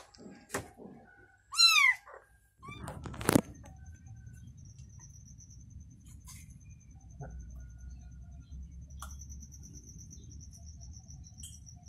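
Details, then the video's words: Mother cat with her newborn kitten, indoors: a single loud, clear meow, sliding up then down, around the second second. A short faint sound comes before it and a low knock after, then a soft steady background hum. "Mother Cat Said To Newborn Kitten: You Can Rest Assured To Sleep, I Am Here And Protect You"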